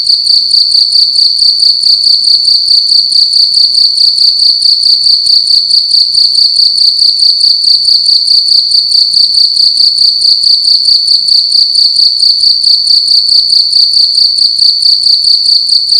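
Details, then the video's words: A single cricket sings loudly indoors at night, its sharp metallic trill pulsing rapidly and evenly for the whole length at a constant high pitch, uninterrupted, with silence beneath. "Cricket making loud sounds at night in a room"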